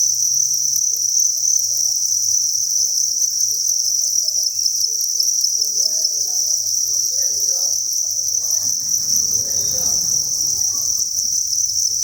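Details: Thousands of crickets kept at a breeding facility chirp in a continuous, piercing high chorus; low humming and a brief burst of rustling noise appear toward the end.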